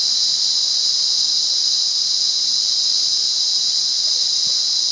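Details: Wild cicada at Monaragala in Sri Lanka makes a continuous high shrill drone, level and constant. A few faint soft ticks can be picked out beneath it.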